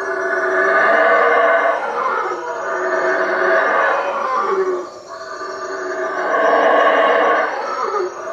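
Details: Guatemalan howler monkeys at Lake Peten Itza, calling at night from treetops over a hut; three long, raspy roaring bouts of about two seconds each, separated by short dips in loudness.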